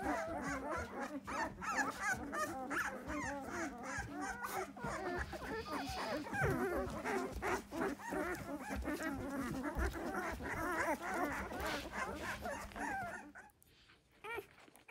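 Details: Twelve newborn Malinois puppies, boxed for a short time during sanitary cleaning, cry for food or from discomfort. Many thin, wavering whines pile into a thick, unbroken chorus over a low hum, then drop away sharply near the end.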